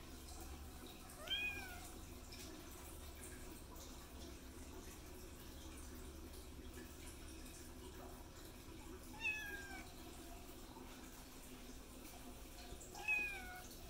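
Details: Kittens meowing to ask for food, three short high meows rising then falling, spaced several seconds apart, over steady low hum and faint running water indoors.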